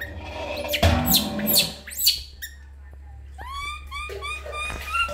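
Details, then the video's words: Loud crying from Lori, a baby monkey, during bath time in a small room: splashy rustling first, then a string of thin, high, quavering squeals in quick succession over a low electrical hum. "Super Crying Loudly Baby Monkey Lori While Take A Bath"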